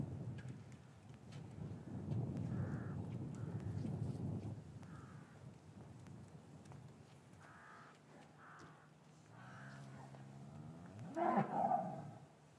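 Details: Cattle lowing in an English farmyard on a winter afternoon, calves separated from their mothers, recorded with paired Rode M5 microphones: a drawn-out, loud moo near the end, preceded by low rumbling and several short harsh caws from another bird.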